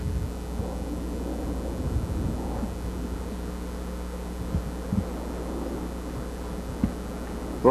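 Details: Steady low engine rumble with a faint hum and a few soft voices; no animal sound stands out.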